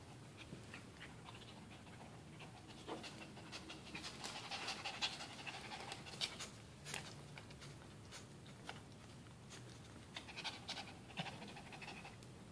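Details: Dog panting after playing tug of war with a towel; quick airy huffs roughly two per second, uneven in loudness, recorded close up indoors.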